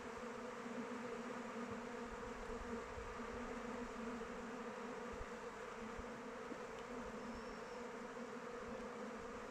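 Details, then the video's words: Constant drone of honey bees circling their hive outdoors in open weather, an even, thick hum with steady low bands; a faint thin chirp briefly rises above it late in the recording. "Bees flying around hive"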